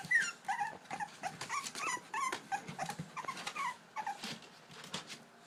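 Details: English Bulldog puppies at the edge of their pool whine and yip in high, wavering bursts, trying to escape and asking to be let out to play.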